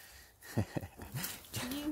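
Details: A Caucasian Shepherd Dog, possibly a Kangal, gives two deep, short woofs while a person nearby coaxes it to come closer.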